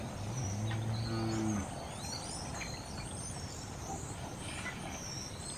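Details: Cow on a ranch during milking, giving one low, harmonic moo of about a second and a half that swells and then fades, with faint bird chirps and a steady rural background hum.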